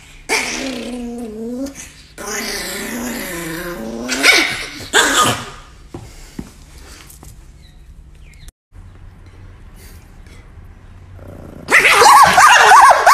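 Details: Angry pet Chihuahua named NiKi barking and growling in harsh, raspy bursts with wavering tones, several clustered outbursts separated by brief pauses, a louder shrill flurry near the end; a person speaks calmly to the dog in between.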